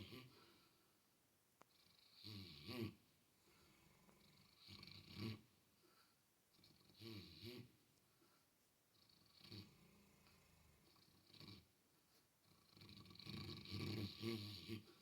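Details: Female Mastiff dog snoring while dreaming in her sleep, wiggling with excitement; rough, breathy snores come in slow bursts roughly every two to three seconds, some with a rattling, throaty texture, in a quiet indoor room.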